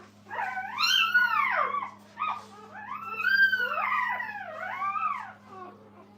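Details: Kennel puppies fussing beside their resting mother Minnie give long, bending cries that sweep up and down, two main bursts with a shorter one between, ringing with harmonics above a constant low hum.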